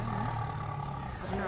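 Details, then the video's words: Caged tiger in a zoo, recorded from very near: a deep, rumbling growl-roar held steadily through the whole second and a half, with a man's voice talking over it. "Tiger roar very near"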